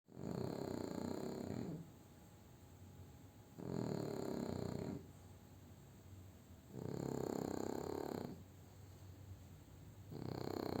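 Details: French Bulldog Júpiter snoring through a nap after a meal: four broad, rasping snore breaths, each about a second and a half long, returning roughly every three seconds, with quiet gaps and a faint steady hum between.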